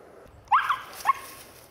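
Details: A four-month-old female Siberian Husky from Sweden, out on a deer hunt, gives two sharp, upward-sweeping yelping barks about half a second apart against a quiet outdoor background.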